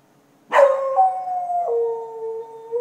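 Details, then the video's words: Dog at night in Chiayi county, Taiwan, 2014: one loud sustained howl that starts with a sharp onset, then holds a steady tone that steps down in pitch twice, against a quiet background. "Dog at night"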